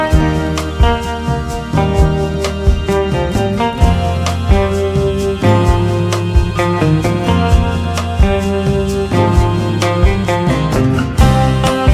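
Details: Guitar-led music with steady strummed chords and a heavy bass line plays throughout, with no animal voice.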